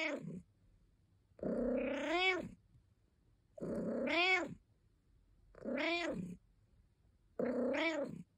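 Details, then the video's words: Indoor pet cat giving repeated complaining meows, each opening low and swelling into a bright, arching, upward-bending wail. Four full calls come at irregular gaps of about two seconds, with quiet pauses between. "Cat Sounds | purring and complaining"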